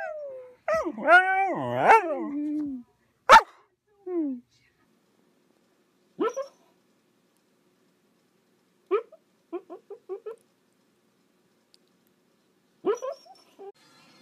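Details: Young female Siberian Husky Sequoia opens with a long wavering yodel-like howl, then gives scattered short barks and clusters of quick yips over about fourteen seconds, with quiet gaps between bursts.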